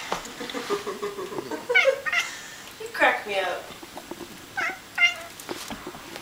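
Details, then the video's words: Bengal cat chatting with its owner, trading short chirpy meows with a person's quiet speech; five or so brief, bright, slightly rising mews spaced about a second apart in a small room. "Bengal Cat Chat"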